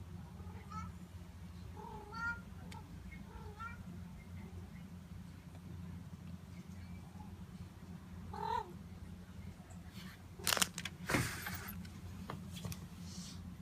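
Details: Notail, a pet cat, calls while being petted indoors: scattered short chirping meows early on, a louder bent meow near the middle, then rustling and handling noises against a low background hum.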